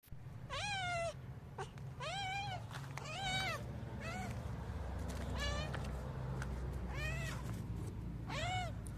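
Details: Street cats meowing to ask for food. About seven clear meows come in nine seconds, each rising then falling, some short, others drawn out, over a steady low rumbling hum.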